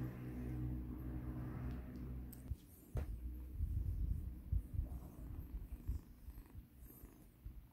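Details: Low, even purring from Mikan, a formerly battered rescue kitten, during a soothing massage; the steady rumble holds for about two seconds, then gives way to louder rubbing and handling noises over a fainter purr.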